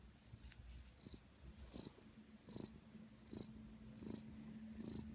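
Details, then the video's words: Black cat asleep and snoring: short breathy rasps recur about every 0.7 seconds, each with a faint hissy upper edge, over a constant low droning tone. "Snoring kitty"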